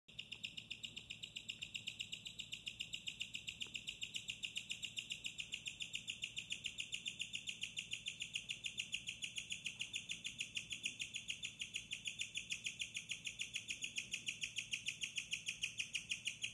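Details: Bella, a female pet guinea pig, chirps at night in her cage, which she shares with a cage-mate and keeps fresh hay, lettuce, water and pellets. Her high, bird-like chirps repeat steadily, about three or four each second, throughout.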